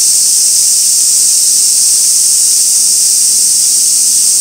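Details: Cicadas recorded 2 August 2024 at Gaikotsu-yama near an old sawtooth oak with white-spotted rose beetles, fixed camera; a short stretch of uniform, piercing, steam-like buzzing that never varies.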